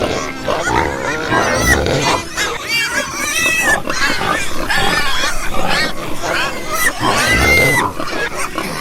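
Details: A chorus of pigs squealing: many harsh, wavering, high-pitched squeals, some rising and falling, with low grunts underneath and overlapping voices throughout.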